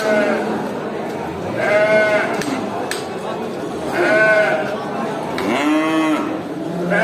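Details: Farm cows herded back to the barn after grazing in a village, several drawn-out moos with rich stacked harmonics at roughly two-second intervals, the last one arching up and down, over a constant crowd-like background.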